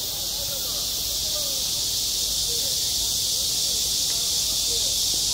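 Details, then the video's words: Constant high-pitched buzzing of cicadas on a school playground in high summer, steady and loud, with soft, distant children's voices faintly audible below the drone. "한 여름 운동장에서 매미가 울고 있다 - 여름의 소리, 학교 종소리, 매미 울음소리"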